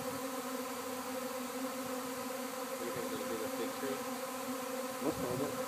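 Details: Honey bee swarm landing at a house in Arcata, a dense steady hum with layered droning tones, a brief louder swell near the end.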